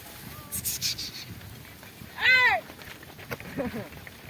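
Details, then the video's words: Sheep from a flock grazing an onion field give a single short wavering bleat, with quieter bleats after and people talking in the background outdoors. "ఉల్లిగడ్డ తోట మేస్తున్న గొర్రె మంద"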